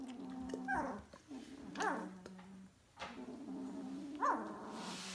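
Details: Two-week-old DK litter puppies, vom Kleinen Fluss A litter, make low droning grunts broken by short rising squeaks and yelps, about three in five seconds, with a hiss at the end.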